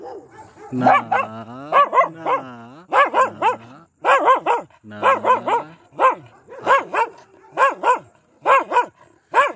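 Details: Pomeranian barking aggressively and almost nonstop, long whining yelps early on followed by steady pairs and triplets of high, sharp barks about once a second.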